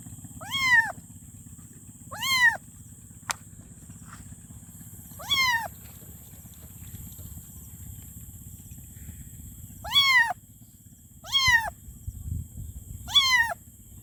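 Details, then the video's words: Kitten calling for its mother with six brief, high-pitched meows, each rising then falling, spread unevenly over fourteen seconds with quiet gaps between, a single sharp click early on, and a constant low hum beneath. "Meow||Kitten Meow||Meowing Kitten For Mom||Kitten Meow Sound Effect"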